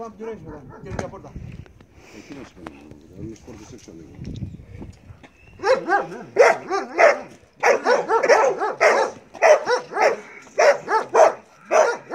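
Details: During bite work training, Belgian Malinois Marley starts quiet while a man speaks Greek, then bursts into loud, rapid barking volleys for the second half.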